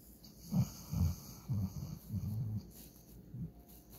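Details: Sleeping German Shorthaired Pointer, Walker, dreaming while passed out: a run of short, low, rough snorts and wheezy breaths about every half second, fading near the end.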